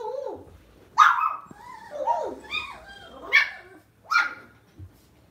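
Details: Domestic Lhasa Apso at home mixing sharp barks with whiny, downward-sliding yips, four main bursts in five seconds, small room sound.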